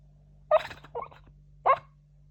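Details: Shiba Inu dog asleep and breathing heavily, making noisy sleep sounds: three short whimpering, nasal bursts spaced about half a second to a second apart, with a steady low hum in the background.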